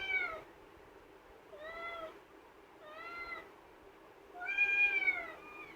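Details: A pet kitten kept in a cage, calling to come out, gives four clear repeated meows about every one and a half seconds, the last loudest and longest, in a quiet indoor room.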